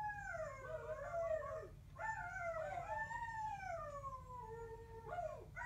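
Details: Two dogs, Coda and Diesel, howl in overlapping drawn-out tones that slide downward, each phrase lasting about two seconds before a new one starts high again, over a steady low background hum.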